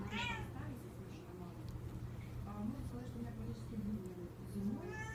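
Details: Six-week-old Devon Rex kittens give high, rising meows, with a person talking softly between them.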